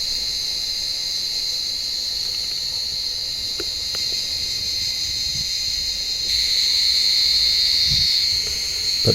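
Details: Many cicadas in an olive tree on a warm evening, hunted by blind cats climbing the branches; a continuous high-pitched buzzing drone that swells louder toward the end, with a few faint taps and rustles.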